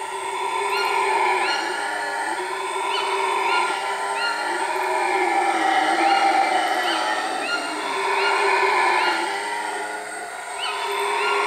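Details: Howler monkeys at Iwokrama Resort, Guyana: a sustained, layered roaring chorus with broad harmonic bands, swelling and fading in waves, plus scattered short rising whistles from birds above.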